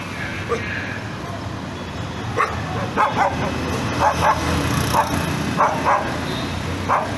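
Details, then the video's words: Nervous dog giving short, tense barks, scattered singly and in pairs from about the second second onward, over a constant background hum; a voice may be faintly present. "The tense sound of a dog"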